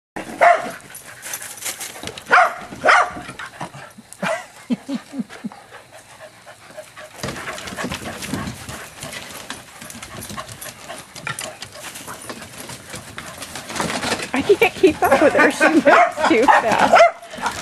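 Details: Corgis chasing during outdoor exercise in June 2011 give sharp, excited barks in short bursts, with a person talking nearby.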